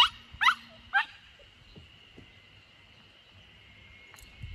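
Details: Samoyed puppy Lucky, 64 days old, on his third day at a home garden corner in Niseko, Hokkaido, Japan, 3 June 2021, trying to escape. Three sharp, high, falling yelping whimpers in the first second, then near quiet over a steady high hum.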